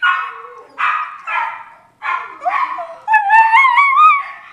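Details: Miniature Schnauzer howling and hiccupping: several short harmonic yelps with choppy breaks, then a drawn-out wavering howl that climbs in pitch with trembling overtones.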